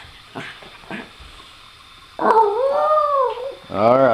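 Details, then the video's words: Female dog howling to ask for her ball; a person speaks briefly, then a loud arching howl rises and falls over about a second, and a second harmonic-rich cry begins soon after. "Dog asking for her ball"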